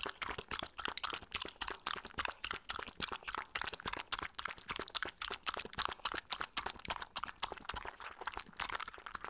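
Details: Spencer, a 15-week-old Shetland sheepdog puppy, laps up goat's milk, his favourite drink, during a patience test. Quick wet lapping clicks come in fast bursts, about four per second, close to the microphone in a quiet room.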